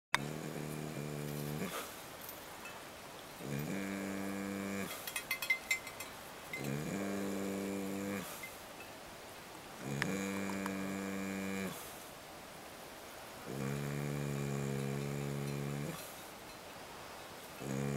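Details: Dog sound asleep at camp on a pack trip, snoring steadily; deep, buzzy, rattling snores each lasting about two seconds, recurring every three seconds or so, six in all, with faint clinks and rustling between.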